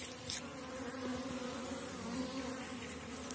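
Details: Honey bees buzzing at a hive in April during dandelion bloom, strong small-cell colonies; a dense continuous hum with steady low tones and a few sharper passing wingbeats.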